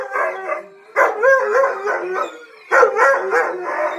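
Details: A male Siberian husky that had not howled for about 11 months howls along indoors with other huskies and a malamute: two long, warbling howl phrases that waver up and down, separated by a quieter gap.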